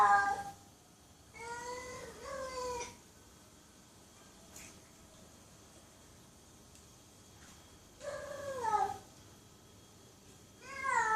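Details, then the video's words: Cats meowing loudly: a few harmonic meows, one doubled, separated by a long quiet stretch, each cry rising then dropping in pitch. "Cats Meowing Loudly"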